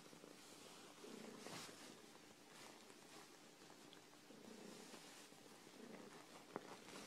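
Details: Phoebe, a female dilute tortie domestic shorthair cat, rescued from a hoarder and now in a foster home awaiting adoption, purring indoors: a soft, steady low rumble under faint room hiss, with a brief louder rustle near the middle.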